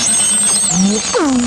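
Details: One beluga whale, a highly social cetacean, producing a high steady whistle that bends downward, then a low rising squeal and a sharply falling, harmonic-rich whistle toward the end.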